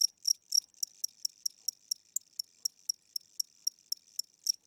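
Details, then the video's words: Aging house cricket calling at night, its wing strokes slowed: a few loud ringing chirps then a softer, irregular series of thin high pulses, roughly four a second, in an otherwise quiet room. "Cricket Chirping Sounds: Low Battery"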